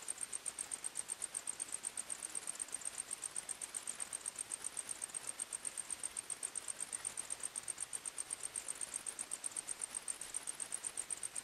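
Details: Steady cricket chirping in a forest at night, around four shrill pulses each second, continuous and regular over low ambient hiss.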